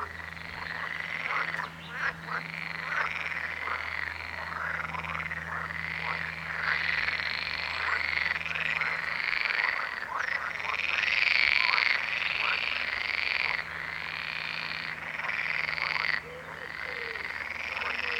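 A dense chorus of frogs, many voices overlapping in quick, arching croaks with a steady low hum beneath.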